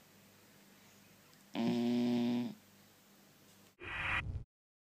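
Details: A Cocker Spaniel puppy, a blue roan tricolour, snores while sleeping: one drawn-out, droning snore, then a brief rougher burst.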